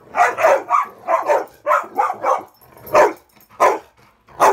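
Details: Indoor bed-top game among three dogs, with Ravyn defending her spot from Kyla and Knight; quick clusters of high, sharp barks, then single barks spaced about a second apart.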